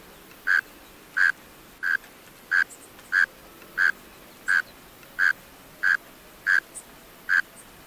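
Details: Male mole crickets calling from closed burrows: a steady series of low, tonal chirps, about eleven in eight seconds, each a short buzzy burst at one even pitch, over a faint hissing background.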